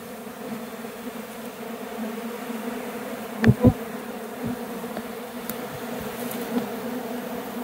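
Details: Honey bees swarming into the air near a hive box following a bee removal, likely trying to abscond; continuous humming drone of many wings, interrupted by two sharp knocks midway and faint clicks.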